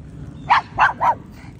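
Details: Pug Lady McPloppins, dressed in a red rain jacket cape, lets out three short, sharp barks in quick succession over a low steady hum.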